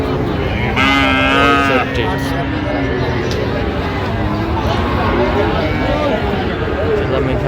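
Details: Friesian or crossbred bull calf at Raniganj cattle market, Dinajpur, on 25 January 2026; a single brief moo near the start, followed by steady crowd murmur and bargaining voices of the busy market.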